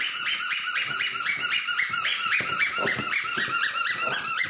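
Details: Ten-week-old puppies of the Ace-Lexus litter crowd around a person indoors, giving rapid high squeaks repeated several times a second with short wavering whines beneath, in a small room.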